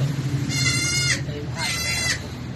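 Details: Goat bleating around a difficult birth that ended in a successful delivery: two loud, drawn-out, quavering bleats, each about half a second long, separated by a short pause, over low background hum.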